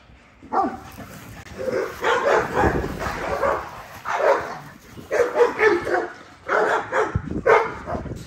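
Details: Great Dane at a fence: loud, harsh barks come in uneven bursts, single and in short clusters, with quiet gaps between them.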